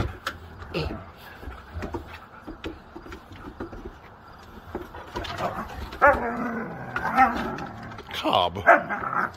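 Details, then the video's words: Siberian Huskies playing rough together, scattered short growls and yips rising toward the end amid scuffling, with a man talking and laughing in the background. "Sometimes the NEIGHBORS think they're REALLY FIGHTING"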